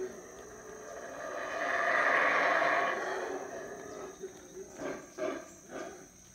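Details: Wild howler monkeys at Howler Monkey Resort in the Belize jungle, waking on a rainy morning: a deep roaring howl swells to a loud peak over about two seconds, fades, then breaks into short grunting bursts.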